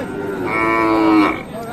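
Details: Qurbani bull offered for sale at Ambari cattle market in Dinajpur, Bangladesh, moos in a long drawn-out harmonic call of about a second and a half, rising slightly then fading, while buyers and sellers haggle nearby.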